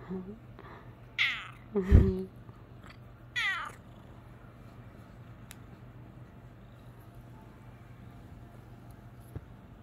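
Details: Bengal cat, male, rousing from a nap: a quick series of short meows with rising and falling tones in the first four seconds, plus a soft low thump, then near-silence apart from a faint hum.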